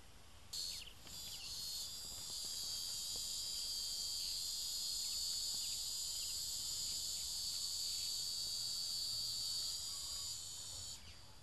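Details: A cicada under attack by ants produces an unbroken shrill buzz that starts abruptly, holds steady with a piercing tonal band, then cuts off near the end.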